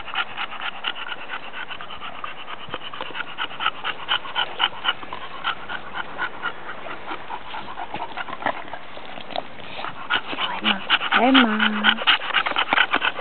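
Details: Rapid, wheezy panting from the pet bulldogs Emma and Bibi, about two puffs a second, growing louder toward the end, where a short, low, tonal whine rises and falls briefly over the hissing breaths.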